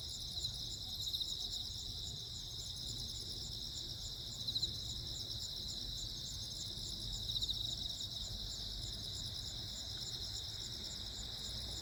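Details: Cricket chorus on Jeju Island, 15 August 2024, as lightning flashes: bright, rapidly pulsed trills stacked in several high bands sound continuously, with a few soft louder clicks and steady low rumbling underneath.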